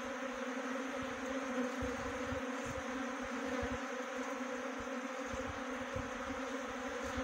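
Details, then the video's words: Honey bee swarm during swarm trapping at Khokti Marlau, Chakrata, Jaunsar-Bawar, Dehradun, Uttarakhand: a steady, low droning hum with a few strong bands that never pauses, with faint scattered rustles underneath. "Best Honey Bee Swarm Trapping."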